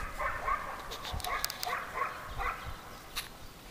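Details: Mother dog with her thirty-day-old puppies; short, high, thin yips come in quick succession, about six within three seconds, faint against soft background rustling and clicks.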